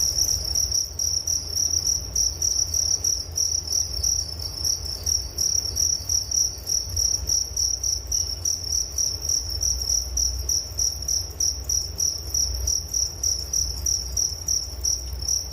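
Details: Crickets chirping for relaxation before sleep, a shrill high trill pulsing rapidly and evenly, with a fainter higher band above and low steady background rumble.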